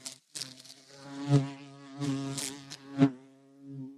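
A bumblebee's low, droning buzz swells and fades as it passes close, then drifts away.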